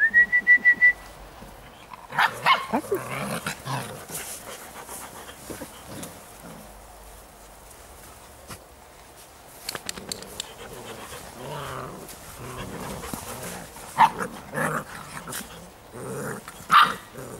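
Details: Giant Schnauzer puppies from the Blackmoore N-litter: a quick series of sharp barks opens, followed by scattered yips, whines and softer grumbles at irregular intervals, with quieter stretches and a few rustling sounds between them.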